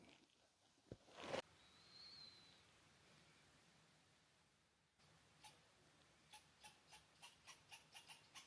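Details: A squirrel gives a quick series of sharp, evenly spaced chips near a hammock campsite above 10,000 ft, just off Devil's Playground Trail to Pikes Peak, Colorado, on an overnight with some sleet and snow.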